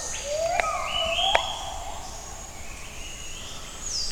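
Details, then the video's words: A gibbon sings its morning song in the jungle at Camp Leakey, Tanjung Puting, with distant rising, sliding hoots over a steady high insect drone. "Amazing Sound of Jungle at Camp Leakey By Gibbon"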